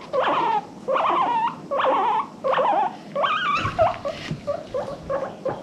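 A guinea pig gives a run of loud, squealing wheeks, each rising and breaking into a whistled peak.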